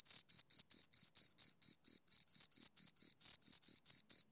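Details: Pair of crickets recorded close, giving short bright chirps in quick regular succession, about five pulses per second, each a dense scraping trill, on a silent background.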